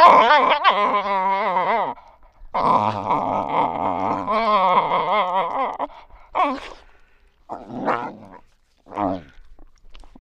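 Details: A single African wild dog whining: long, wavering, nasal tonal cries that bend up and down in pitch, followed by several shorter broken whimpers separated by brief pauses.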